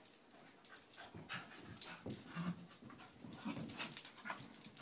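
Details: Two Scottish Terriers, McGee and Mackie, wrestling together in play; low rumbling growls and snorts come in uneven bursts, mixed with scuffling and rustling noises from the tussle.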